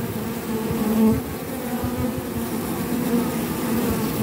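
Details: Honey bee forager with sticky orange propolis on its legs: a steady low buzzing hum with layered overtones, swelling briefly near the one-second mark, then continuing evenly with slight wavering.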